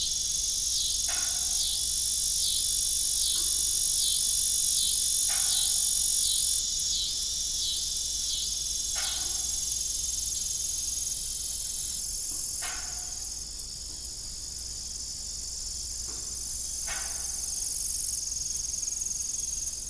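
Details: Evening crickets on an old family farm beside a rusty, broken windmill: a dense, high-pitched steady trill with rhythmic pulsing, interrupted by occasional sharp knocks every few seconds.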